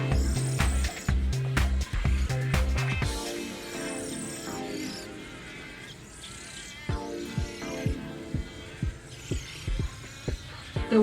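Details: Background music with a heavy, throbbing bass beat and sustained tones; no clear animal calls stand out.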